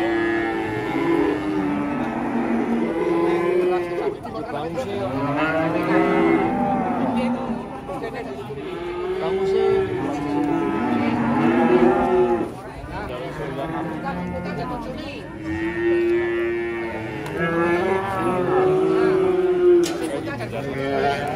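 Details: Indonesian cattle around the Idul Qurban holiday giving repeated low, curving moos, many calls overlapping and following one another every few seconds, over background music.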